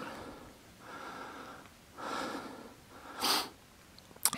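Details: Husky dog exploring caves along the C&O Canal on a midnight mushing outing, 6.10.2016; breathy, noisy sniffs and snorts come in bursts roughly a second apart, with a sharper, louder puff near the end and a quiet room-like echo.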